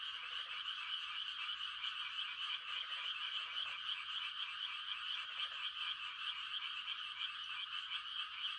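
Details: Numerous frogs calling to attract mates on a quiet rural night: a constant high-pitched trilling chorus overlaid by several short, deeper pulsed croaks, some in quick pairs.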